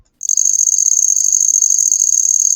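A handsome trig sings a steady, high, silvery trill that runs on without a break.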